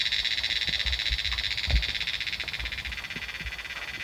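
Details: Many cicadas calling from the trees in the Himalayan mountains during the monsoon rainy season fill the air with a steady, high, shimmering buzz that barely pauses.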